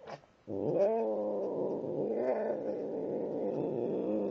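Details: Pet cat Tim keeps up a continuous, rich, throaty growl for about four seconds while eating. The growl wavers slightly in pitch, with a brief click just before it starts.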